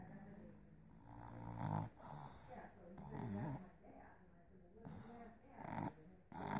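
A Boston Terrier puppy makes low, nasal whimpers and snorts while dreaming, coming in short uneven bursts. Between them are quiet snoring breaths, with a faint human voice possibly in the background.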